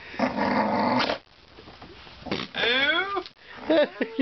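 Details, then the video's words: Dogs playing with laundry indoors; harsh broadband growling burst, then a pause and several short sweeping whines and yips, with a person's voice in the background. "dogs luv laundry day"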